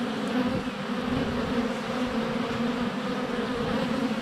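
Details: Swarm of honey bees circling close to their hive entrance, sunny February day, GoPro Hero 7 Black held under a foot away; thick, even droning buzz with shifting wingbeat tones throughout.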